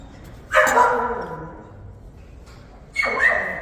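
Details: Active Jindo puppies, black, fawn, brindle and black-and-tan: two short yelping barks about two and a half seconds apart, each a bright noisy burst with a brief tonal whine.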